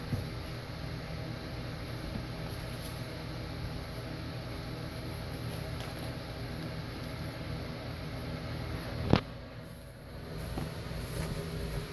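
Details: A steady low mechanical hum like a fan or engine runs throughout, broken by one sharp click.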